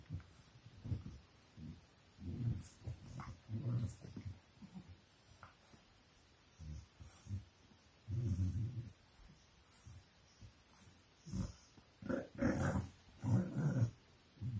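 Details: Playful growling from English Bulldog puppies at a 4 am pen party in Nairobi, Kenya; deep rumbling grunts come in bursts every second or so, with a few higher whiny yips near the end.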